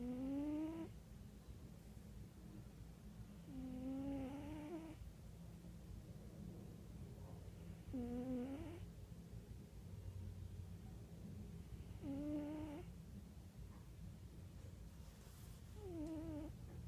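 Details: Domestic cat snoring indoors: slow repeated nasal breaths with tonal, slightly rising whistly notes about every four seconds over a steady low background hum.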